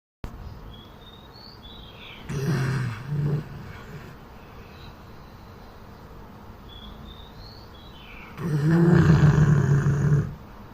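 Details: Champ, a pit bull asleep in the Thailand jungle, snores in loud, rough, low rumbling bursts, a short double snort early, then a longer drawn-out snore near the end, with small birds chirping softly in the background.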